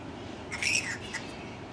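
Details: Bats in the botanic garden in Sydney, May 2010: a single brief, harsh high screech, followed by a shorter faint squeak, over steady outdoor background hiss.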